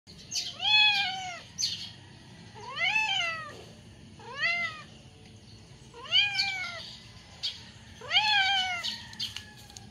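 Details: Hungry stray cats asking for food with a run of five clear meows, each rising then falling in an arched, harmonic-rich tone, spaced roughly every two seconds, with faint scratchy noises between calls.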